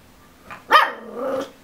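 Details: A ten-week-old Miniature Schnauzer puppy stuck on a couch, wanting to get down while watching an adult schnauzer walk around, gives a short sharp yelp followed by a drawn-out wavering whine.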